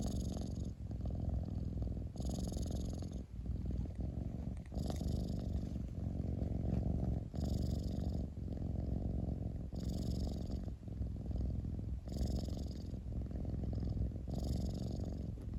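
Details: Domestic cat purring indoors: a continuous low rumble with steady rapid pulsing, broken by breathing cycles about every two and a half seconds, each breath adding a brief airy hiss.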